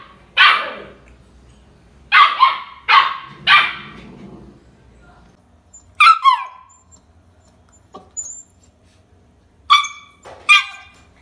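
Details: Pet Siberian husky during its first year giving sharp barks, first four in a quick cluster, then scattered higher yelping barks with quiet gaps between them.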